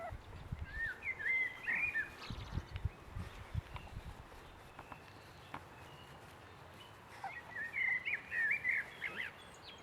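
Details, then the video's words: High, bending whimpers from six-week-old Boston Terrier puppies come in two bursts, one near the start and another near the end, separated by a quieter stretch with low rumbling thuds. "boston puppies 6 weeks"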